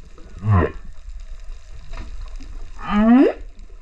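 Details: Male humpback whale singing at Rurutu, 28 September 2024, GoPro recording: a low harmonic moan, a pause with faint water noise, then a rich rising upsweep whoop.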